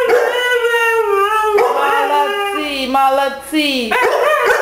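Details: Mishka, a Siberian Husky, sings along with Zola the Labrador: long, wavering, harmonic howls that slide and bend in pitch, with overlapping voices and a loud yowling rise near the end, while a person repeats affectionate words.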